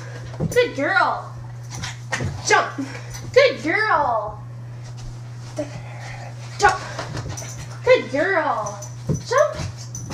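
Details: A female Shih Tzu terrier mix dog, indoors while being told to jump, sit and roll over, gives several short whining yelps with arched, rising-then-falling tones, spaced a few seconds apart between a person's praise and commands.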